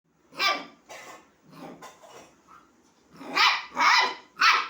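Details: Puppy calling a kitten to play, indoors: short bright barks in two bursts, three loud yips near the end following softer, lower grumbling sounds in the middle.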